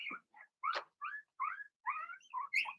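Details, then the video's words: Blenheim Cavalier King Charles Spaniel puppies in the puppy pen making soft whimpers and short, rising and falling squeaky yips, quieter and more tonal than barking, in a loose run of about eight sounds. "Cavalier Puppies Bark, Howl"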